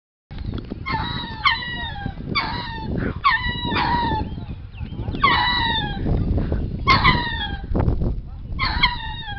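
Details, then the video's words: Lemurs at a zoo suddenly start calling without obvious cause: repeated loud wailing cries with stacked harmonics, each bursting out and sliding downward, about eight cries in quick succession over a steady low rumble of background noise. "Lemur's Call"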